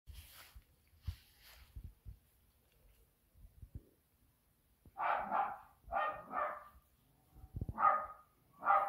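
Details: Sad house cat, one of several cats missing a companion named Toby and unwilling to play, indoors; soft rustles and taps, then five harsh, harmonic meows in close succession over the final four seconds.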